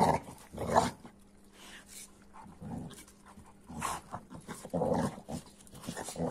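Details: Two dogs, an AmStaff and a Kuvasz, in rough play; low growly bursts and panting come in short clusters, with quiet gaps and a steady faint hum between them.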